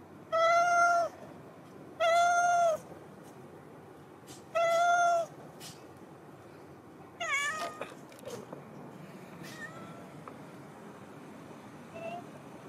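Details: Big yellow cat waiting outside the door each day as someone comes downstairs, giving three loud, drawn-out, steady-pitched meows about two seconds apart, then a shorter rising, wavering call and a few faint meows over low background hum.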